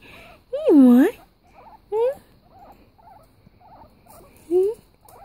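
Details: Pet guinea pig named Peanut gives three high squealing calls: a long wavering squeal that rises and then dips, followed by two short upward-sliding squeaks, with soft murmuring voices in the pauses.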